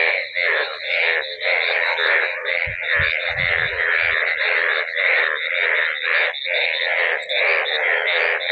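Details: A dense chorus of many yellow frogs floating in waterlogged village fields after a night of heavy rain ending a long hot spell, croaking at once in a continuous pulsing, rasping roar, with a person speaking.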